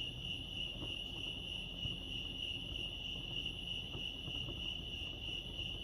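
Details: High, rapidly pulsing cricket chirps at Lake Arrowhead in California form an unbroken ringing tone, with faint low taps and a steady low background rumble.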